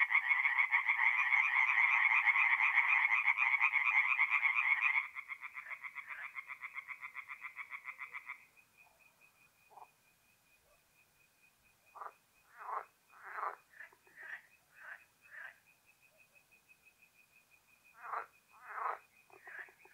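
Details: Tree frogs singing at night at a forest pond in North-East Italy in mid-April: a dense rapid croaking chorus for five seconds, thinning to a steady tone, then scattered separate bursts of quick croaks with quiet gaps between.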